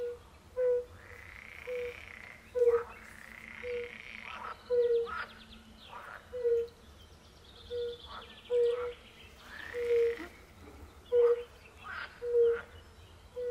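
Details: Fire-bellied toads sing in a concert at a forest pond alongside pool frogs. Steady low, bell-like hoots recur about every second, while louder, harsh, quacking croaks of the pool frogs break in between.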